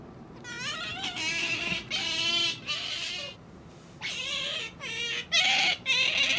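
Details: Pet otter squealing insistently indoors, a run of about seven bent, harmonic high-pitched squeals, some rising and falling, with short gaps between them.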